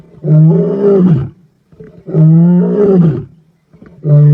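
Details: Kruger male lion near Black Dam, recorded 14 November 2025, giving deep sustained roars: two long harmonic moans of about a second each, a third starting at the end, with soft grunts between.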